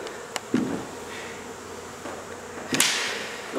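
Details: Honey bees from a hive inside a second-story wall of a home in Mission, Texas, during hot, humid removal work; a steady low droning buzz runs throughout, broken by a few sharp knocks and a brief scraping burst.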